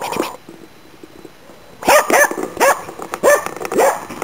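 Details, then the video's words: Finnish Spitz barking in autumn 2010 during a hunt for waterfowl and game birds in Inari, Finland. After a quiet start, five sharp, ringing barks follow in a steady series about every half second. "Pohjis-Nellan syksyn haukkuja 2010"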